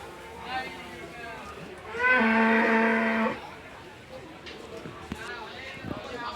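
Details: Cattle at the Gabtoli cattle market in Bangladesh ahead of Qurbani, 2026: one loud, steady moo lasting about a second, low-pitched with rich harmonics, amid crowd murmur and a man speaking Bengali nearby.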